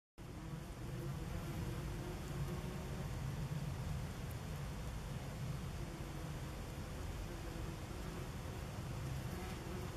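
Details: Common wasps (Vespula vulgaris) at a nest under tree roots beside a forest path, filmed 30 August 2015; a steady, low droning hum runs throughout with faint harmonic bands above it and no other clear sounds.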